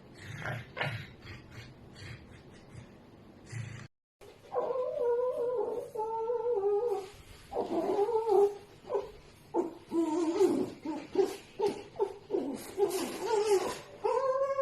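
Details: A pet red fox making strange sounds in its sleep: a run of wavering, whiny, nasal cries, some rising and falling, in short irregular bursts with brief gaps and a sharp break.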